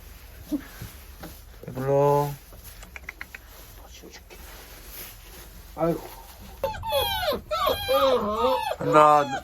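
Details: German shorthaired pointer puppies born on 15 January 2022 give high, wavering, overlapping whines and short yelps that bend up and down, crowded into the final three seconds. A man's voice speaks briefly earlier, with soft handling noises between.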